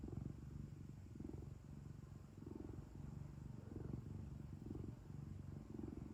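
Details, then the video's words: Home cat's purr, a throaty low-pitched rumble pulsing in regular breathing cycles, slightly louder on each swell, with a faint steady hiss in the background. "고양이 골골송 | cat purring"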